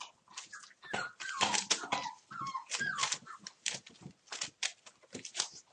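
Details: One-month-old puppies of the Torfheide 'B' litter playing together indoors on 19 December: overlapping high squeaky whines and short yelps, some with rising and falling pitch, mixed with scuffling, thumping and scratching noises.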